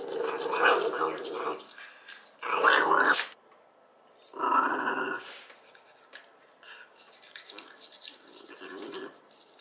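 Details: Two-year-old Shiba Inu growling while refusing to have its teeth brushed; rough, noisy snarling bursts of about a second each, separated by short pauses, with a few quieter grumbles later and faint brushing and handling sounds.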